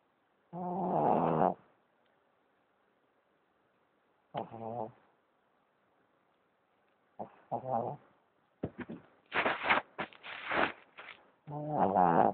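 A Boston Terrier snores irregularly, with drawn-out nasal, slightly whiny snores separated by quiet pauses. Toward the end come quicker, harsher snorting rasps before another long, droning snore.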